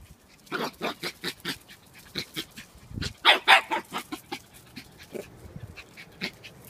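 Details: Havanese puppy Lexi after racing around: steady, rapid panting, rhythmic breathy puffs roughly three per second, with a stronger run of louder huffs midway through.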